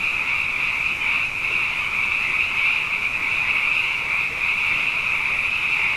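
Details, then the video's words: Nighttime frog chorus after two wet years in a row, countless overlapping high trilled calls blending into one steady sound bath over a quieter lower hum. "Frog Songs: Na Mele o nā Paloka"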